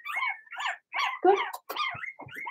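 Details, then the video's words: Blenheim Cavalier King Charles Spaniel puppies from Remy's first litter in a home puppy pen, barking in a quick string of high, squeaky yaps with a few drawn-out whiny notes between them. "Cavalier Puppies Bark, Howl"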